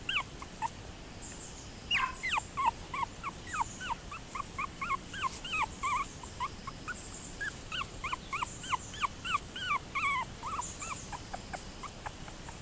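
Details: Toy poodles give rapid bursts of short, high, squeaky whimpers, each note arching up and down in pitch, repeated several times a second in clusters throughout.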